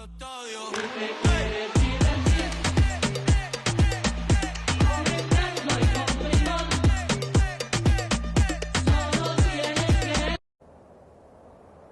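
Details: Upbeat dance music with a steady thumping beat and layered instruments plays for about ten seconds, then cuts to a faint low hiss.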